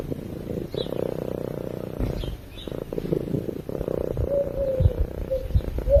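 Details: A sleeping cat gives a low, rhythmic purr in breath-paced bursts, fading into rougher, noisier rumbling with a faint whistled tone toward the end.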